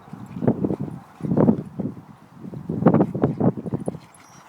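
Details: Two boxer dogs, Roxy and her brother Toby, playing together: rough, low growling grunts in dense bursts, clustered around the start, middle and end, with scuffling noise between them.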